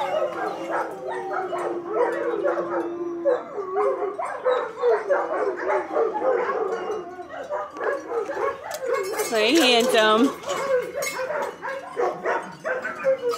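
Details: Young German Shepherd puppies, two liver and tan and one black and tan, give a busy run of short yips and squeaky whines, one brief rising-falling cry standing out near the end, while a woman chats affectionately over them.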